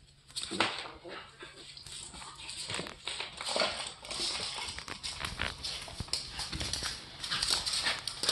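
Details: Two pet dogs, one-year-old Rocky and eight-week-old Terry, a Boston terrier puppy recently added to the family, play indoors; short growly yelps and whines come amid scuffling, with a person's voice mixed in.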